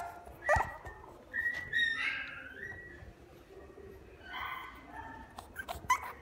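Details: Boston Terrier at a pet shop gives thin, high whines. One drawn-out whine wavers for about a second. Later come shorter nasal whimpers, between clicks and knocks in the enclosure.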